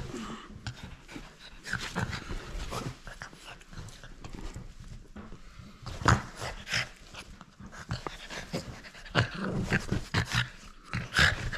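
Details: French Bulldog playing indoors and refusing to give up its toy, making irregular broadband huffs, snorts and low growly bursts over eleven seconds, with scuffling and a few sharper bumps around six and eleven seconds.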